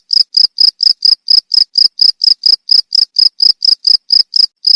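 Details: Rhythmic cricket calling for songbird training, around twenty short shrill pulses in under five seconds, evenly timed and clean, no other noise present.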